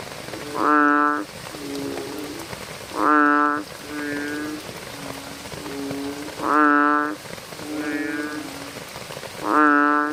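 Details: At night, American bullfrogs give deep, resonant droning calls every few seconds over steady rain-like background noise.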